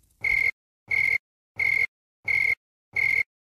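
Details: Male tree cricket chirping by stridulation, a plectrum on one forewing rubbing a toothed file on the other so both wings vibrate; five clean, pure-toned chirps, each about a third of a second long, evenly spaced roughly two-thirds of a second apart, on a silent background.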